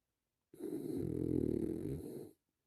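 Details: One drawn-out snore from a relaxing French Bulldog: a deep, buzzing, rattling inhalation lasting almost two seconds that swells and then fades. Silence comes before and after.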